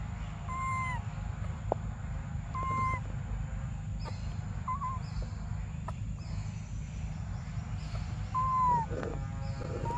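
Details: Baby monkey Briar crying for milk: a series of clear, tonal wails that waver then fall at the end, five or so spread across the stretch, over a steady low rumble of background noise.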